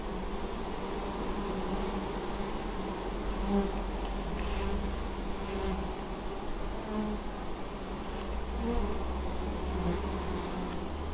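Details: At an apiary in Moszczanka, Opole Voivodeship, Poland, on 19 August 2013, crowds of honey bees carry honeydew, producing a sustained low buzzing hum with small rises and falls as bees fly near.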